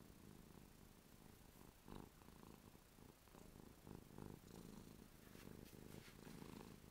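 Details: Continuous purring from Ruby the cat as she drools with contentment; deep, rhythmic rumble swelling and easing in cycles of about a second, with faint higher rustles near the end.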